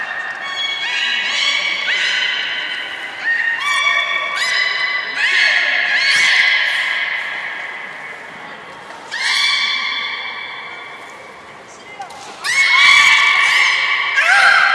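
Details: Captive belugas at Port of Nagoya Public Aquarium on 27 January 2019, playing after a feeding session; dense overlapping whistles with stacked harmonics, many short level and rising tones, a busy stretch near the end.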